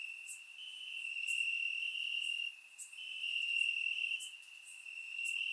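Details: Crickets singing in grass at night during a warm Bulgarian summer, recorded with a surround microphone; an unbroken shrill trill dips briefly midway, while a few sharp high clicks punctuate it.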